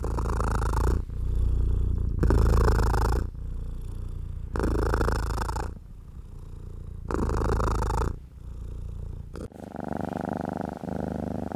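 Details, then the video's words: Relaxed pet cat purring while a hand strokes its fur: a low, even rumble with long rubbing swishes about every two and a half seconds. A brief tonal murmur closes the passage. "Stroking & Purring"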